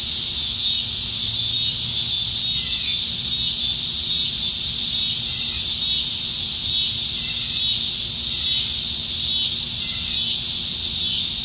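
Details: Many cicadas in Nebraska trees on a July 2019 summertime evening form an unbroken high-pitched shimmering drone. The wall of sound holds steady throughout, with scattered soft chirps faintly audible beneath.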